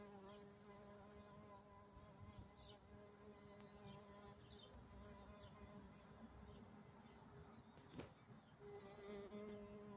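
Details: A carpenter bee buried inside a large dragon fruit flower gives a steady, low, droning buzz with rich overtones that wavers slightly in pitch.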